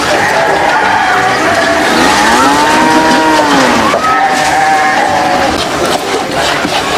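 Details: One farm cow among others competing for food lets out a single long, bowed moo lasting about two seconds, then a flatter, higher tone, amid continuous rushing noise.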